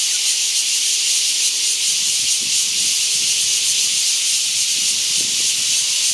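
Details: Formosan giant cicada singing before heavy rain at Lobster Cave, Liuqiu Township, Pingtung County, Taiwan, recorded on a Canon PowerShot SX700 HS: an intense, unbroken high hissing drone with a faint pulsing texture, plus slight low rumbles.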